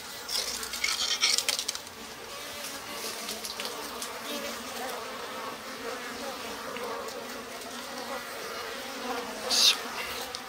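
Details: Japanese honey bees, lively in spring, humming inside a stacked-box hive with its slide-out bottom board opened; a continuous, even buzzing drone with occasional knocks and clinks.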